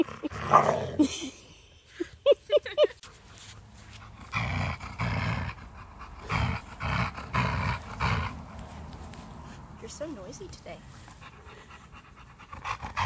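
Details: Pet female Siberian Husky growling contentedly while being petted, low rough grumbling bursts rising and falling over several seconds, mixed with a woman talking and laughing and a few higher yelps early on.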